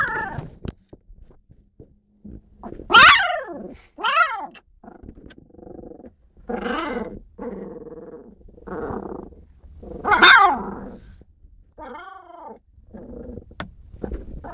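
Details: Four husky puppies whimpering and growling, with high wavering whines that rise and fall in pitch, several loud squeals, and low rumbling growls in between; the sounds come in short bursts with quiet gaps.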